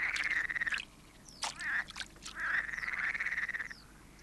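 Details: Water frogs on a warm summer night in native German wetland give a loud chorus of rattling, rapidly pulsed croaks about a second long, with several voices overlapping and brief higher squeaks between phrases.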